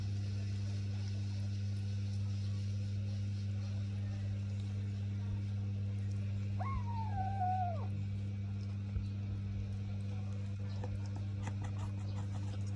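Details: Pet cat while eating, giving one drawn-out meow lasting just over a second that rises sharply and then slowly sags, over a steady low electrical hum with faint chewing clicks around it.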